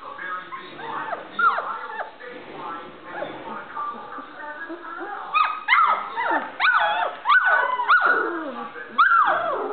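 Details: Standard Poodle puppies learning to play and bark: scattered whines give way to a series of sharp, high yapping barks that fall in pitch, coming in irregular clusters.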